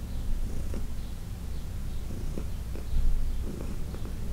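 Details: Heidi, a 14-year-old cat from the Humane Society of New York City, purring loudly during a massage; a strong low vibrating purr that pulses slightly, with soft brief clicks of handling.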